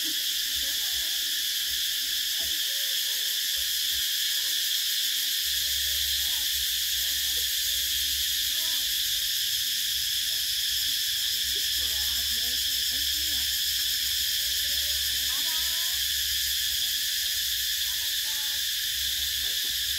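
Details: Cicadas calling in summer in Vietnam: a loud, continuous shrill buzzing drone that fills the whole recording without pause, with faint low sounds and soft background noise underneath.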